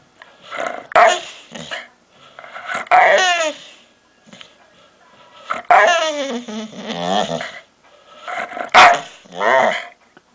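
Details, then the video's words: Dog making weird noises: drawn-out, moaning whine-growls that waver up and down in pitch, some sliding downward, in about five long bursts with short pauses between. "Weird noises my dog makes"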